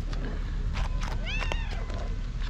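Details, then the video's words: Loud meow from a white tabby female stray, hungry and affectionate toward familiar people: a short arched meow rising then falling, mixed with overlapping Turkish chatter and handling noises. "White Tabby Cat Meowing Loudly For A Long Time"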